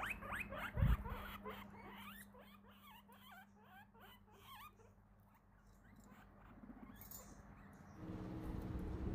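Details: Guinea pig in a Christmas-themed setting giving a quick run of short, rising squeaky chirps, several per second and clustered in the first half, over a steady low hum, with a soft thump near the start.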